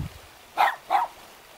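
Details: One of two cute dogs guarding a mountain home near Jeonju, North Jeolla, Korea, gives two quick barks close together, a clear double bark over low background hiss.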